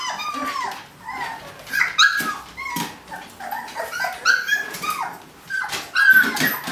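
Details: Eighteen-day-old puppies scrambling to get out of a kiddie pool give thin, rising and falling whines and squeaks, overlapping from several pups, with light scratching between the cries.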